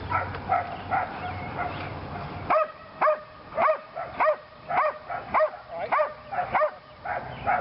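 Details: Lily, a female Belgian Malinois in PSA training, working her second session on leg sleeves; after a muffled start, sharp barks repeat about twice a second, each with a rising-falling tonal edge, steady and insistent.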